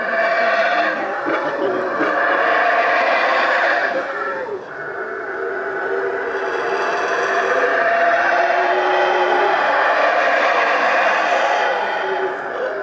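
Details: Howler monkeys at the Mayan ruins of Xunantunich, Belize, howling in a loud, continuous, rough roaring chorus that swells and dips, briefly fading near four seconds before surging again. The howling is thought to relate to intergroup spacing and territory protection.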